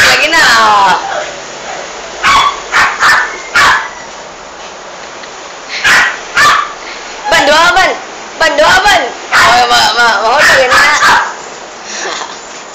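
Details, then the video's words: Toy poodle bitch attacking and killing a big rat in a bathroom, loud: short sharp barks come in irregular bursts throughout, mixed with excited human voices whose wavy tones overlap the barking. "My toy poodle kills a big rat"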